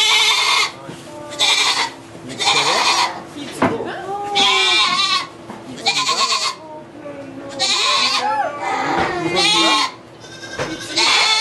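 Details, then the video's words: Goat bleating during a birth of two kids in a sugar shack in Quebec, Canada; loud, wavering, harsh bleats come in bursts about every second or two, overlapping excited French voices of people. "Goat giving birth (Quebec) / Accouchement de chèvre"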